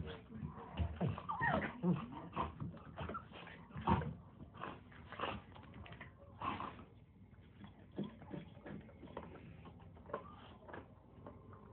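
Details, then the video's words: Nine-week-old Chihuahua mix puppy playing with a big black German Shepherd indoors: a run of short whiny whimpers and yips with scuffling play noises, fading to quieter rustling toward the end. "9 Wk Old, Chihuahua Mix Puppy, Attacks Big, Black German Shepherd Dog."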